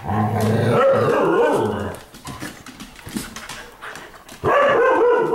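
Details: Indoor nighttime playtime between pet pups: a long, loud, rough growling vocalization for about two seconds, a quieter stretch of shuffling, then another strong growly burst.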